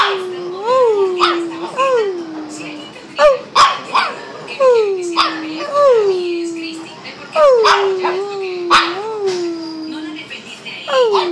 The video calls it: Shih tzu bruno :)